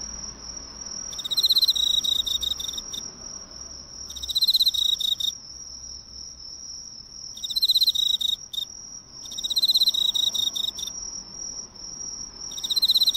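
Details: Close-range Emma field cricket at a local drugstore light: five separate high, fast-pulsed trills, each one to two seconds long, spaced by short quiet gaps, with a continuous thin electric-like whine throughout.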